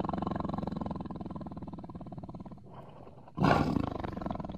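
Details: Tiger giving a steady pulsing, throaty rumble with low harmonic growls, which dips briefly before a sudden loud, harsh roar bursts out and fades into continued rumbling.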